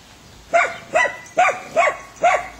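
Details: Five short, bright barks, evenly spaced about half a second apart, from dogs as an Airedale puppy named Lilly meets three Weimaraners; the background is quiet.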